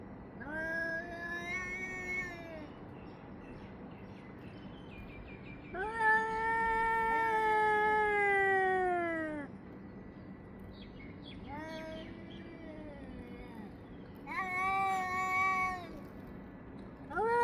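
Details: Cats yowling at each other in the early morning, recorded between 6:01 and 6:04 summer time: long drawn-out wavering wails that rise and fall, in four separate bouts of two to four seconds with quiet gaps between.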